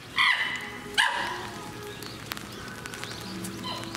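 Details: Captive chimpanzee at Higashiyama Zoo and Botanical Gardens, Aichi, Japan, on 18 November 2017: two loud, harsh, harmonic barking calls about a second apart, followed by faint distant calls and low background murmur.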